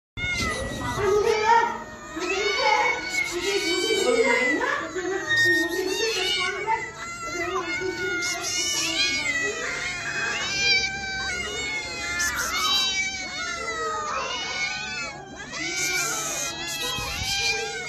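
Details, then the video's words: Several angry kittens meowing and crying for food, calls overlapping almost nonstop: high, arching, wavering meows that rise and fall, some strained and scream-like, with brief human voices mixed in. "Angry baby cats/cats baby/cats meowing to attract cats"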